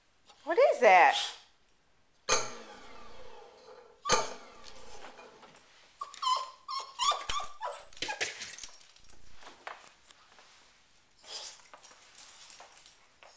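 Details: Riley the dog, distressed by a running garbage disposal, gives a drawn-out falling whine, then scattered softer whimpers among clicks, thumps and a person's voice.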